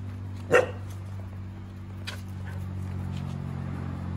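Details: Komugi, a three-year-old red female Akita, barking to win back her brindle sister Patako's attention from a bird in a bush; one short, sharp bark early on, then a steady low engine-like hum and a faint second thump.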